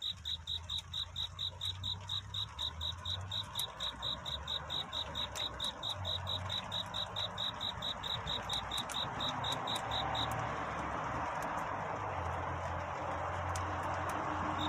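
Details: Cricket's nocturnal courtship song at dawn: regular high chirps for about ten seconds, then they stop as a broad rushing hiss swells and fills the rest, with a low hum throughout.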